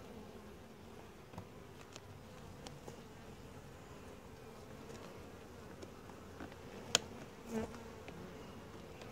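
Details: Honey bee colony during a typical hive inspection, described as quiet, gentle and calm; a steady low droning hum continues throughout, with occasional sharp clicks and knocks from handling of the hive.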